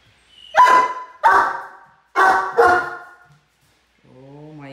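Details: A 10-month-old Great Dane gives four deep, loud barks in two quick pairs, pestering one of the household cats until it loses patience and swats him.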